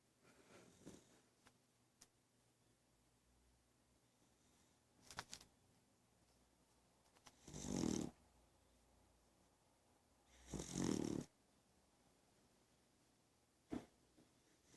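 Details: A sleeping beagle snoring indoors: quiet breathing broken by two loud, rasping snores about three seconds apart, each lasting under a second, plus a few faint shorter snorts.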